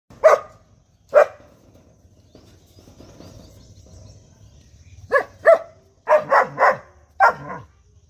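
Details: Five-month-old German Shepherd puppy barking: short sharp barks, two spaced at the start, then a quick cluster of four to five barks near the end, with a person calling the dog in Bengali between them.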